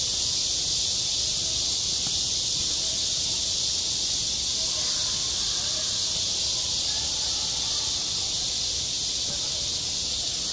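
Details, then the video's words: A summer schoolyard full of cicadas: a loud, continuous shrill drone fills the whole stretch, even in level, with only faint murmurs below it. "한 여름 운동장에서 매미가 울고 있다 - 여름의 소리, 학교 종소리, 매미 울음소리"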